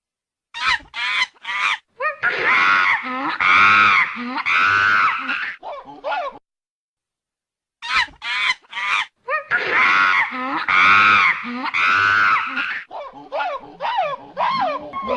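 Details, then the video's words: A monkey making a strange, unusual sound: bursts of sharp yelps build into long, loud, shrill, harmonic screams. The sequence repeats after a pause of over a second. "صوت القرد الغريب / sound of the monkey"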